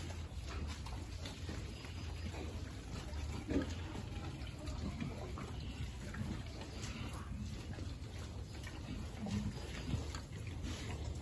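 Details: Piglets being fed, with soft low grunts and snuffling scattered through the clip over a steady low rumble, plus a few wet splashing sounds.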